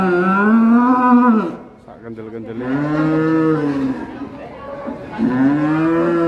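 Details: Cattle being unloaded from a truck, one animal agitated and bleeding from the nose, giving long loud harmonic moos, a falling call then two more rising-and-falling bellows, with people talking.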